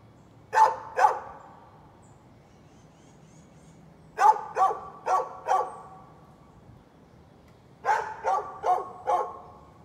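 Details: {'caption': "Neighbor's dog barking on 11-13-2020: three bursts of sharp, mid-pitched barks, a quick pair, then a run of four, then another four, with quiet gaps between each burst."}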